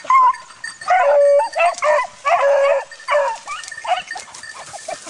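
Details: Dog in training on wild boar, giving loud bursts of high, strained yelping barks, some drawn out into short whines, in clusters about every half second to second with brief pauses between.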